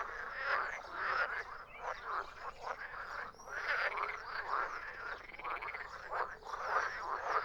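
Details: Frogs croaking in a dense chorus, overlapping rasping croaks pulsing several times a second with no pauses, a continuous mid-pitched clamor.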